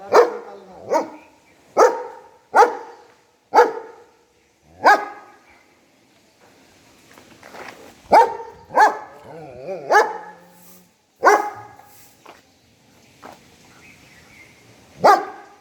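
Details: A German Shepherd barks at the person filming in loud, sharp, deep bursts, spaced roughly a second apart.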